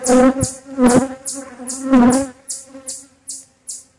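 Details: Honey bees buzzing loudly while a beekeeper inspects a relocated hive: a strong, steady droning hum that swells three times, with short, sharp hissing bursts repeating about every half second.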